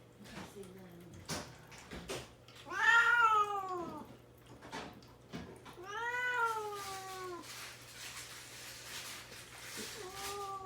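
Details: Caged house cat, isolated and fasting before neutering, calls plaintively to be let out while its worried mother waits beside the cage. Two long, loud, downward-sliding wails follow a soft opening mew, then a short final mew, with clicks and faint indoor hum.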